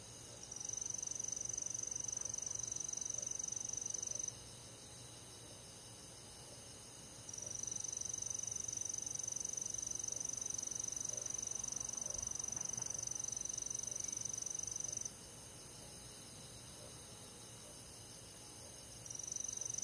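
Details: Countryside crickets with other night insects in summer, chirping in a fast, even high-pitched pulse about two or three times per second. A continuous shrill trill starts and stops several times, and the loudness drops while it is silent.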